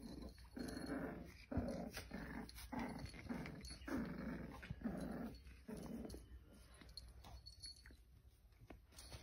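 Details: A white-and-red parti-colour female American cocker spaniel with her litter gives low, rumbling growls in rapid broken bursts indoors.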